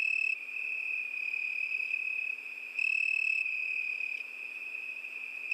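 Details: Summer-night cricket chorus: one unbroken high-pitched chirring tone, briefly louder at the start and again midway. No birds or voices.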